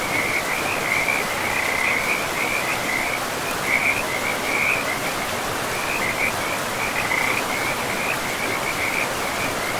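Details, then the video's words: Forest river with frogs calling: a run of pulsing trilled notes at mid-high pitch, briefly pausing then resuming, over a loud, even wash of flowing water in a pristine woodland. "River and Frogs sleep sounds"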